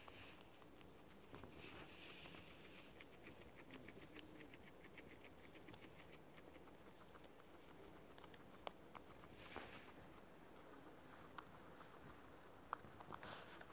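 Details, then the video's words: Two pet guinea pigs, Ginger and Chutney, munching non-stop through clover: rapid dry crunching clicks and crackles in irregular bursts, with soft rustling underneath and a few sharper snaps. "relax to the sound of two guinea pigs chewing"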